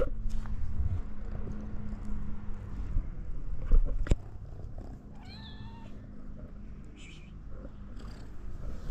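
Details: Hungry stray cats in Morocco, around a ginger cat named Ginger: steady low purring rumble fills the first seconds, then a brief harmonic mew rises near the middle amid faint rustling and background hum.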